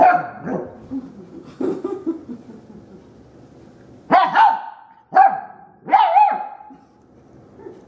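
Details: A young female dog encountering the vacuum cleaner for the first time barks: a few softer yelps at first, then three loud, sharp, high barks about a second apart.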